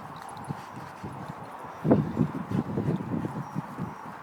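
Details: Roxy, a pet boxer, playing with her brother Toby: low, rough grumbling bursts come in quick irregular runs, swelling briefly around the middle and then trailing off, with scuffling thuds beneath.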